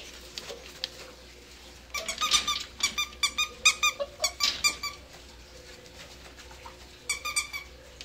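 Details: Dachshund-basset mix puppies, seven weeks old, playing indoors: a rapid series of thin, high squeaky yelps in two clusters separated by a quiet stretch, with faint room noise behind.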